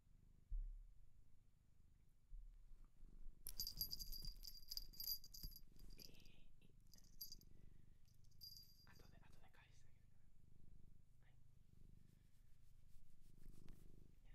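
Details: Shelter cat adopted in Japan, recorded up close: soft low rumbling purr pulsing steadily throughout, with a bright jingling bell ringing in bursts during the middle section and faint rustling handling noises.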